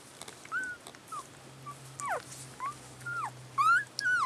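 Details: Newborn collie puppies, only a few hours old, filmed 3 April 2012: thin, high whistled squeaks, some rising and some falling, repeated in quick succession over a steady low hum.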